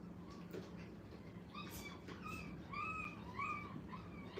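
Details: Five-week-old dog puppies in their first time in a playpen at a training kennel, giving high, thin whines that arch up and down, several overlapping in quick succession, over a steady low indoor hum.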